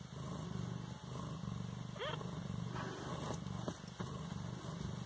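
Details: Siamese kitten, 18 days old, in Bas-Saint-Laurent: a steady low pulsing purr runs throughout, broken around the middle by one short, thin rising mew, with a constant faint hum in the background.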